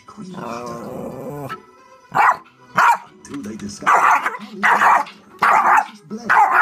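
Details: Indoor Yorkie barking at a DVD player: voice-like sound from the device first, then a series of loud, piercing yaps repeated every half second or so.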